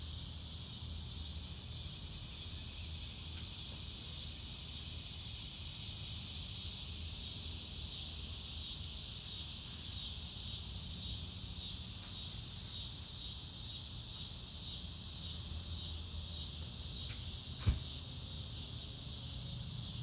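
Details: Real-time outdoor recording of crickets under a blue sky: a continuous shrill chorus pulsing quickly and evenly, with a soft low hum underneath and one brief sharp click near the end.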